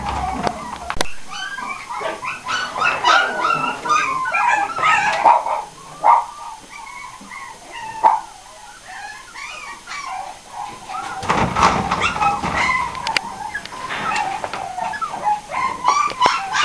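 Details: Pinschers at a breeding kennel in Aquitaine, France: bursts of high, sharp yips and thin whimpers, irregular and overlapping, with quieter gaps between noisy clusters.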